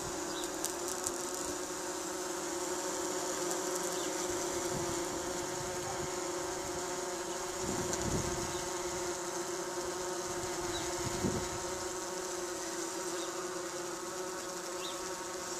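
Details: Tree bumblebees at a nesting box in Cardiff, Wales, UK, on a hot 37°C day, give a steady, low droning hum that rises and falls slightly as they fly.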